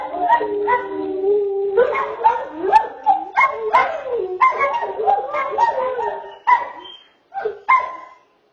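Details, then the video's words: Greyhound roo during a gathering of greyhounds: a long, wavering, sung howl with sliding pitch and rich harmonics, breaking into overlapping yodel-like rises and falls from several voices, ending in short separate whoops. "Greyhound Roofest"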